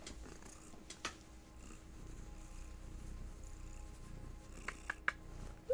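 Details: A female domestic cat purrs in a low, steady rumble, with a brief higher cry near the end, apparently saying hello indoors after a nap.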